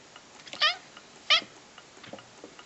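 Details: Pet cat prompted to talk indoors, producing two short, clear harmonic meows roughly 0.7 seconds apart, each sharp and bright with a slight downward bend, followed by faint soft clicks in a quiet room.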